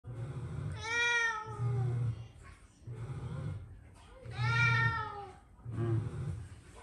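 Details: Pet cat out on a walk, walking rather than rolling about, gives two drawn-out, clear, slightly falling meows about three and a half seconds apart over a low rumbling background.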